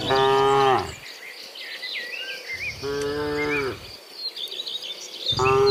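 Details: A herd of dozens of cows walks from the fields back to the pen in the afternoon, mooing loudly three times at intervals of roughly two to three seconds, while insects buzz and small birds chirp behind them.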